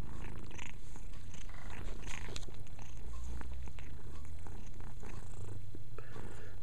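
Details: Purring from a house cat busy cleaning, a constant deep vibrating hum under light rustling and licking noises.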